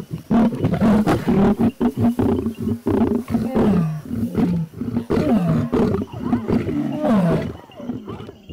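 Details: Lions in Kenya's Maasai Mara, one lioness pushing in on a buffalo cow that has just given birth. Deep, harsh growls rise and fall in quick bursts, broken by short gaps of silence.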